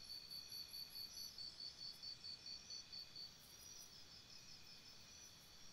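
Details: Crickets chirping at night by a campsite: a high, bright run of evenly spaced chirps, about four or five a second, for three seconds, then easing into a softer continuous insect trill.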